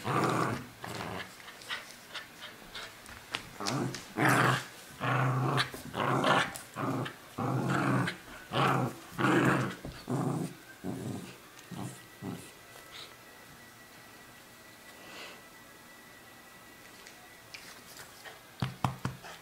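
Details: Cairn, border and wheaten terrier mix dog growling in play while tugging a stuffed toy indoors, not aggressive; rough, low pulsed growls in rapid bursts for about ten seconds, then quieter with a faint steady tone and brief voices near the end.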